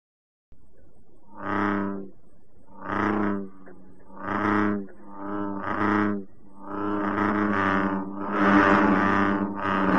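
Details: An American bullfrog (Lithobates catesbeianus) gives its advertisement call, very loud, deep, resonant, rumbling bass croaks repeated about every second and a half.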